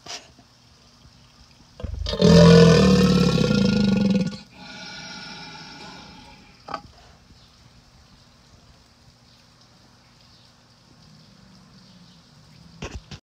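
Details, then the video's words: A crocodile gives a single deep, harmonic bellow lasting a little over two seconds. A fainter hum follows it, with scattered soft knocks before and after against a low background noise. "crocodile voice"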